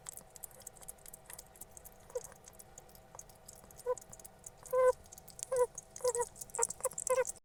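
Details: Pet hedgehog making strange noises while eating something tasty; short, nasal squeaky chirps come in brief bursts, sparse at first, then clustered over the last three seconds, amid soft clicking chewing-like sounds and a faint steady hum.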